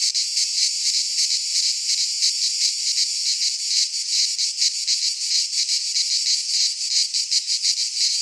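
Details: Greek pine-forest cicadas in midsummer produce a loud, hissing buzz that swells and throbs in slightly uneven rapid pulses, a continuous insect chorus.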